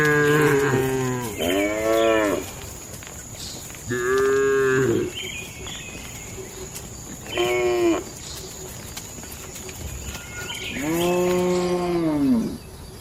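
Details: Tame cattle (sapi lembu) inside a farm barn go about their day, lowing repeatedly: five separate moos of one to two seconds each, some rising then falling in pitch, with quiet barn background between calls.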